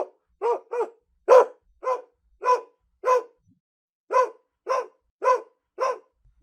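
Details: Home dog gives a run of about eleven short, punchy barks, some paired close together, others evenly spaced, with a brief pause halfway and no other sounds.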